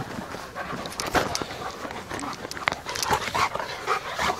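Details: Alaskan Malamute puppies living with their parents at a breeding kennel give soft whimpers and brief whiny squeaks amid scuffling and panting.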